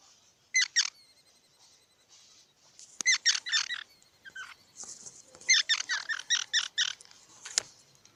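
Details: Squirrel chattering in bursts of quick, harsh, squeaky notes, clustered in runs of three to eight, with a faint hiss in the background and a sharp click near the end.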